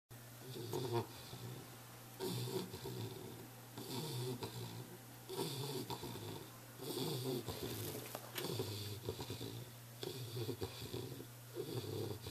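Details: An English Bulldog snores in loud, rasping breaths repeating roughly every two seconds, recorded July 13, 2011.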